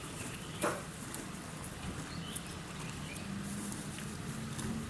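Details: Donkey eating at Yuki Park Zoo in Kofu, Japan: soft, crunchy chewing ticks repeat steadily over a low outdoor hum, with one louder knock near the start and faint bird chirps above.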